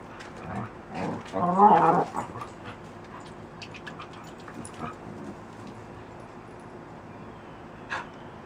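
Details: Puppies playing outside produce dinosaur-like noises, a drawn-out raspy growl with a harmonic-rich whine around the second second, followed by softer snorts and scattered clicks over low background hiss.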